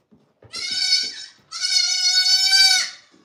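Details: Farm goat giving two long, nasal bleats in a row, the first about a second long and the second nearly one and a half seconds, steady and wavering in pitch, with only faint background noise.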